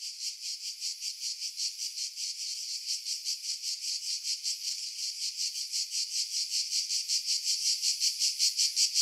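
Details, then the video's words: Cicada chorus in pine woods above Pefkos Bay on Skiros, Greece, July 2018: a shrill, continuous buzz throbbing in quick regular pulses, growing slightly louder toward the end, wind noise removed by filtering. "Cicada Sounds, July 2018 Skiros, Greece"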